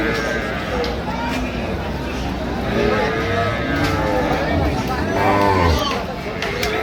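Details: Dairy cows and calves of an improved breed at Ambari cattle market, Dinajpur, on 15 September: drawn-out lowing moos rise and fall under constant crowd chatter and bargaining voices.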